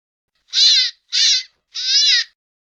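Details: Hare uttering three loud, strained squeals of similar pitch, the last drawn out longest, spaced about half a second apart. No background noise.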